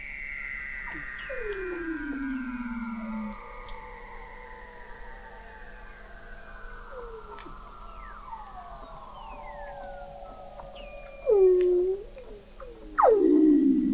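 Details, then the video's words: Underwater Weddell seal vocalizations from below sea ice in McMurdo Sound, Antarctica, November 2017, observatory 21 m beneath the ice: long overlapping gliding tones slowly falling in pitch, scattered short downsweeps, and two sudden loud chirps near the end. "Song of the Antarctic Weddell Seal"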